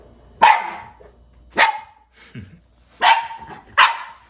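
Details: Shiba Inu dog at home in a small town in the Canadian Rockies, carefully checking its birthday balloons before a birthday party; four sharp barks or yips, spaced roughly a second apart, with brief quieter sounds in between.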